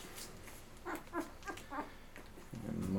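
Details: Eleven-day-old Labrador Retriever puppies of Mocha's litter, indoors on a rainy day, feeding until full and then crawling off to sleep: a few short, soft squeaks and grunts in a row, then a longer low whine to the end.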